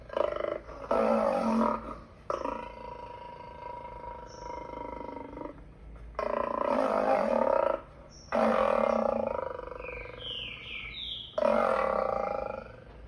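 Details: A lion gives repeated deep, rasping roars, four sustained bursts of one to two seconds with brief breaths between them, and a few faint bird chirps in the background.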